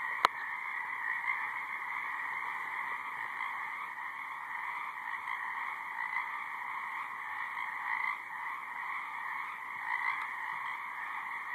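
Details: Frog chorus in a high marsh, many overlapping trilled croaks blending into a steady continuous drone with periodic small surges, a sharp click at the start and a faint background buzz.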